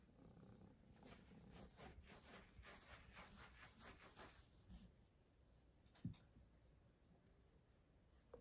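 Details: Persian kitten, a red tabby male at a cattery, purring in an even pulsing rumble for about five seconds, then quieter with a single sharp knock.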